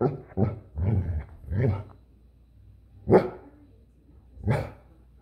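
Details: A Goldendoodle barks in a quick cluster of four low, rough woofs, then after a pause gives two louder, separate barks about one and a half seconds apart.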